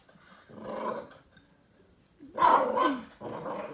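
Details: Chihuahua and silky terrier mix dog growling while playing with an owl stuffed toy on a carpet indoors; rough, noisy growls in three bursts with short pauses between.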